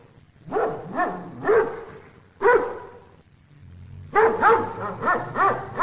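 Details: Dog barking, offered as real bark sounds for children and parents: loud harmonic barks in uneven clusters, a pair, then a single bark, then a rapid burst of four or five, with quiet low rumble between.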